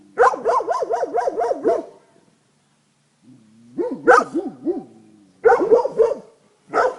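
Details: Tornjak shepherd dogs Lord and Sika Vala Liburna from Rečica, recorded 31 July 2011: rapid bursts of arched, ringing barks, about six in quick succession, a pause, then further fast runs of barks with a lower whining tone between.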